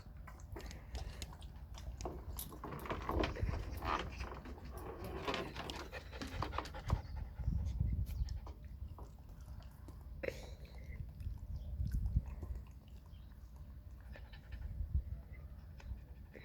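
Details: Puppy panting rapidly while playing: quick breathy rasps about three per second, louder and denser in the first half, then softer and uneven, with scattered clicks and knocks around it.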